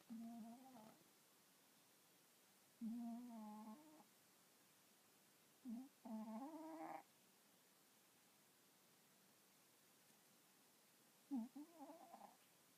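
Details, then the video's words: Sleeping pet cat that snores instead of purring; four nasal, buzzy snores of about one second each, the tone rising slightly at the end of some, separated by quiet pauses of several seconds indoors. "いびきをかく猫 - snoring cat"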